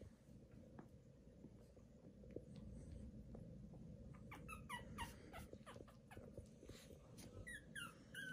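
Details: Newborn Pomeranian puppies: after four quiet seconds of low rumbling background, a run of short, high-pitched squeaks and chirpy whimpers repeats quickly until the end.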